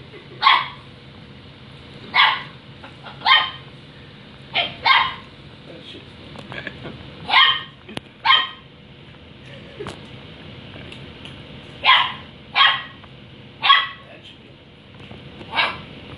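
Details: Female puppy barks at an indoor water dispenser she is meant to use, giving about a dozen short, sharp barks spaced irregularly over sixteen seconds, with faint household noise between them.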